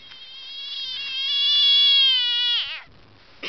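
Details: Noisy frog giving a long, steady, tonal call rich in harmonics that swells in loudness midway, then bends downward and breaks off abruptly after about two and a half seconds.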